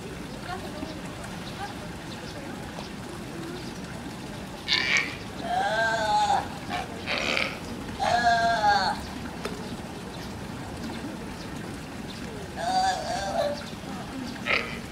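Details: California sea lion pup at Higashiyama Zoo and Botanical Gardens, June 27, 2017, calling its mother while starting to climb rocks as she encourages it from behind; hoarse, harmonic bleating calls in short bursts of about a second, over a steady murmur of visitors.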